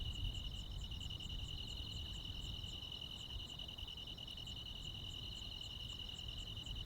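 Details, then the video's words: Crickets and other insects on a rural midsummer night: a steady, high, shimmering trill with a faint pulsing overtone above it, running unbroken throughout, over a low rumbling background noise. "시골 야간 귀뚜라미, 벌레 소리"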